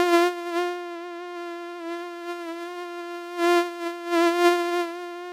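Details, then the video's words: A flying mosquito gives a continuous nasal whine at a constant pitch, mostly even in volume, with brief louder surges near the start and again after three and a half seconds. "Komar leci i wydaje odgłosy oraz dźwięki. Odgłosy zwierząt, komar, bzyczenie."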